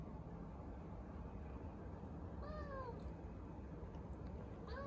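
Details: Custard, a three-month-old male Domestic Shorthair kitten with a short yellow tail, up for adoption in Bandar Rimbayu, Selangor, gives a clear falling meow midway, then begins another at the very end over steady low background hum.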